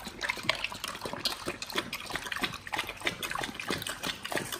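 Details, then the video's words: Raw-fed Pit Bulls eating a beef shank combo: moist, squelching chews and sharp crackling bites, with slurpy liquid smacks between them and no other sounds. "Pit Bulls eat Raw Beef Shank combo [ASMR] | BARF | MUKBANG 動物の咀嚼音 | 犬が生の肉を食べる"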